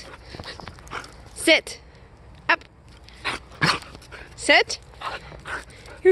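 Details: During a blizzard, a playful female Siberian Husky named Aurora wants company outside and lets out short, bright, wavering yelps and whines between a person's words as she is told to sit.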